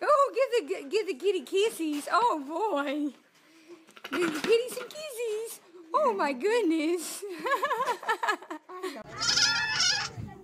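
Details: Goats in a humorous compilation giving wavering, quavering bleats that rise and fall in pitch, several in close succession, with human voices talking over and between them.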